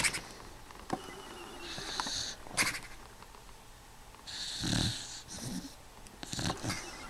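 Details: Eight-year-old beagle named Snoopy asleep and snoring: irregular breathy, hissy snores with a low rumble in some breaths, separated by quieter pauses.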